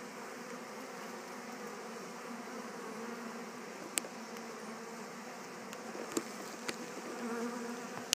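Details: Western honey bees from the Gwenyn Mel 2 colony, just returned to their Warre hive after swarming and absconding, settling in: a steady, low droning hum with faint tonal bands underneath, broken by a few sharp clicks near the middle and end.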